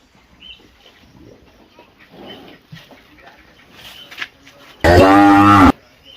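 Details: Well-fed cattle grazing on a plantation at Sigeudok Hill, Lamteuba. Quiet rustling and faint murmurs give way to one loud, rich, low moo of just under a second, then a return to soft background sounds.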